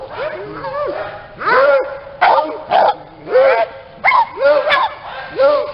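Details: Small dogs from a kennel in Aquitaine, France, breeding Maltese, Yorkshire terriers, chihuahuas, Pyrenean shepherds and West Highland terriers; short yelping whines with arched tones, in bursts roughly every half second to second, slightly irregular.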